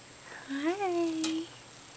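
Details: Pet female dwarf hamster named Jigglypuff, chirping in early afternoon to announce she is up and wants attention; a single soft tonal chirp rising then leveling off, lasting about a second, indoors in a quiet room.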